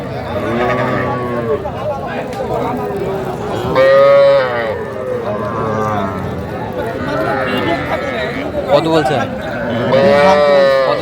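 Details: Bull and heifer calves at the twice-weekly Aftabganj cattle market, Dinajpur, Bangladesh, 7 January 2025: two clear bellowing moos about six seconds apart, with fainter calls between, over steady crowd voices and bargaining talk.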